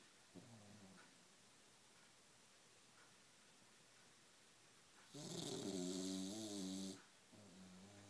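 An English Bulldog snores with deep, throaty rumbles drawn out on each breath. One snore swells into a loud, rattling rasp lasting nearly two seconds before softer snoring resumes in a quiet room.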